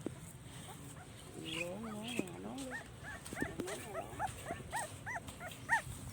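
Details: Puppy crying for its mother: thin, high whimpers, first drawn-out wavering whines, then a rapid series of short arched yelps roughly twice a second, with a woman speaking softly nearby.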